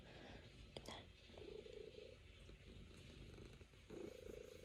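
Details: Settled on an owner's lap and kneading, the Norwegian Forest Cat Luna gives a low, steady purr that swells in two brief rounds against a hiss of room noise.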